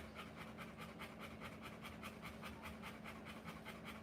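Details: Rottweiler giving birth, panting fast and steadily, about two and a half breathy pulses each second, with a constant low hum underneath.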